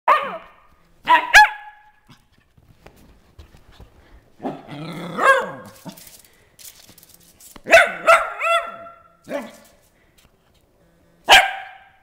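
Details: Molly, a pet dog, running around the house and being vocal while playing: short yelping barks alternating with high, wavering whines and yips in irregular bursts, with quiet gaps between them.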